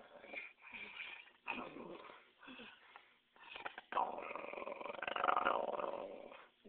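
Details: Dog that wants her ball, likened to a dinosaur: a run of raspy, wheezing, growly vocal bursts, breaking off and resuming, ending in a longer, louder strained whine-growl.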